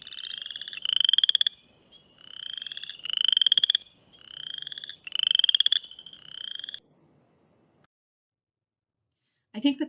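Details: Western chorus frogs, tiny frogs under two inches, give mating calls in Ohio: rising, rasping trills like a creaky rocking chair or a fingernail dragged along a comb, repeated every second or two.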